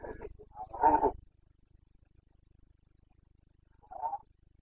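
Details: Carpathian red deer stag bellowing in the autumn rut, locally called boncănit, Bucovina mountains, 29 September 2022: a rough broken roar of about a second, a long silence, then one short grunting bark.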